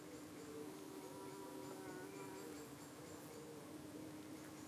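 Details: A UK hive of honey bees buzzing at the entrance while purposeful flies hover around them. A continuous droning hum carries faint wavering overtones over light background hiss.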